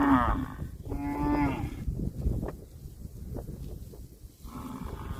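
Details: Cattle grazing on grass and mooing: a short moo at the start, a fuller drawn-out moo of about a second, then chewing and rustling before another moo rises near the end.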